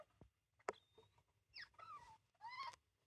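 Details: A degu, watched while degus are being introduced to each other, gives two short warbling calls that wobble up and down, after a few soft clicks and taps of movement.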